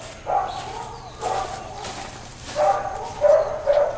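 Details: Uncontrolled dog barking in Hawaiian Paradise Park, Hawaii, September 2, 2024, Labor Day. Five fairly distant, hoarse barks are spaced unevenly across a few seconds over a low constant hum.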